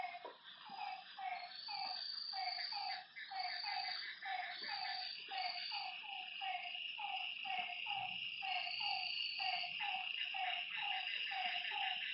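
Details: Frogs at a lakeside at night: a run of short notes repeated about two or three times a second, many callers overlapping, beneath a steady high insect drone and occasional higher trills.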